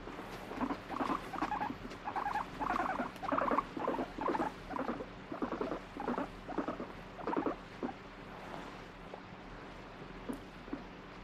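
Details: Pet guinea pig, shown as alternately wanting to be stroked and angrily refusing touch, giving a stuttering, buzzy chattered rumble in short pulsed bursts, roughly two per second, fading into scattered soft clicks near the end.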